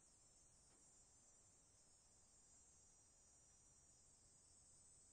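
Cicadas hold a steady, shrill, high-pitched buzz with no pauses.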